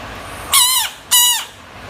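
A frog gives two loud, harsh screams, each a shrill, slightly falling wail lasting about a third of a second.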